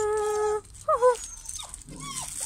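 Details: German Pinscher puppies from a UK litter, Litter D, 2022: a steady high whine with stacked harmonics held for half a second, then short bent yelps and a softer trailing whimper.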